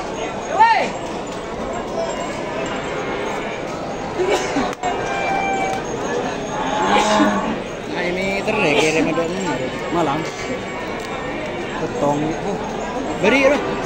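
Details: Cattle at a busy East Java cattle market selling breeding cows: scattered short moos and bellows rise and fall from several animals amid constant crowd chatter and market clatter.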